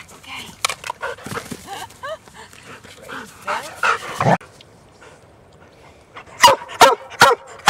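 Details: Huntaway dogs on a Sunday walk near Christchurch, New Zealand. A person praises and calls a dog named Sophie, with whines and yelps mixed in, then four sharp barks ring out at the end.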